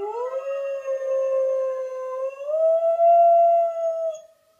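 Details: Pet dog named Bear howling at a siren indoors: one long, steady, tonal howl lasting about four seconds that rises slightly in pitch halfway through, then fades out.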